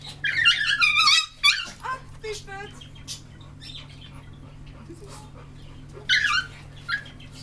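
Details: Two male dogs meeting, Simba, an American Staffordshire Terrier, and Tyson, a Chihuahua. High-pitched squealing whines come in quick falling bursts, then a lower short whimper, with another whine burst later, over a steady electrical hum.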